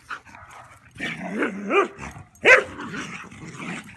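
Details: German Pinscher named Rooney roughhousing outside with a Rat Terrier: wavering, rising-and-falling growls merge into a sharp yelping snarl near the end, with brief grumbles between.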